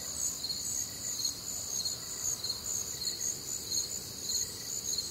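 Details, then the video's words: Crickets and other night insects on a humid, warm Midwestern summer night: shrill continuous trills stacked in several high bands, a throbbing chirp recurring somewhat irregularly under two times a second, soft rural background. "Night Time Cricket Sounds"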